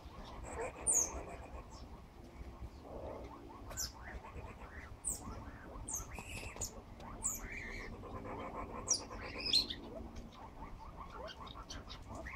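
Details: Banded mongoose babies exploring their surroundings in Westville, KwaZulu-Natal, give brief, high-pitched squeaky chirps scattered over a steady hissing background.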